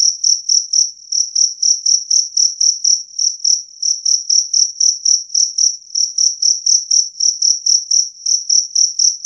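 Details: Two-spotted cricket (jangkrik kalung), a clear, loud recording meant for driving away rats: a bright, high, pure trill pulsed into short chirps about four per second, steady and unbroken, with no other sounds.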